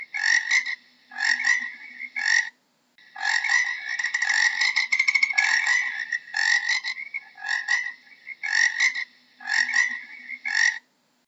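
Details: Frog giving a series of buzzy, pulsed croaks, short bursts alternating with a long continuous rattle in the middle, about one burst per second, against otherwise silent background.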